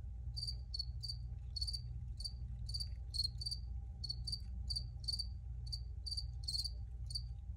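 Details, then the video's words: Crickets give crisp, high chirps in uneven runs of two or three, roughly three per second, over an unchanging low background drone. "Free Cricket Sounds for Re-Use or Relaxation"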